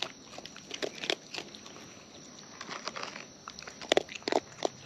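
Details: Wild raccoon eating close up, its chewing heard as irregular sharp crunchy clicks and bites in uneven bursts, louder clusters near the end, over a faint steady background hiss.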